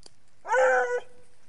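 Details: A female Ariégeois puppy on the scent of a hare lets out one short, full-toned bay that swells, then tails off into a thin fading note.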